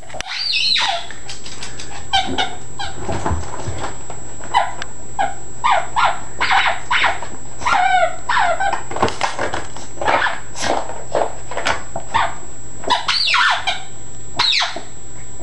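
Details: Chalupa, a Yorkshire Terrier-Chihuahua mix, goes wild over a squeak ball indoors. The dog lets out a rapid run of short, high, whiny yelps and barks, mixed with squeaks from the ball, across the whole stretch.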